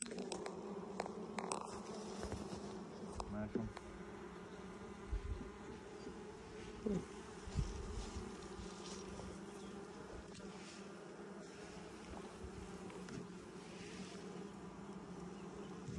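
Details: A honey bee hive opened for inspection in 2020, six days after nucs went in. Continuous humming buzz of the colony with frequent knocks and scraping as frames are handled. A few sharp clicks are scattered throughout.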